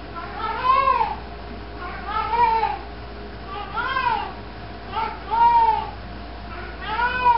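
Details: Pet cat carrying a sock indoors, letting out a series of six muffled arched meows at irregular intervals, with a constant low background hum.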